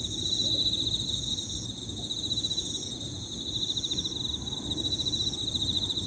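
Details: Several Emma field crickets sing together in high, overlapping 'piririri' trills, forming a steady pulsed ringing that never pauses. A thinner, even higher insect tone runs alongside, over a low background rumble.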